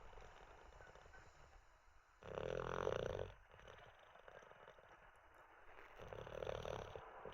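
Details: Teddy the olde English bulldog snoozing after treats and a wee; one strong, grating snore early on, a long soft pause, then a gentler rumbling snore toward the close.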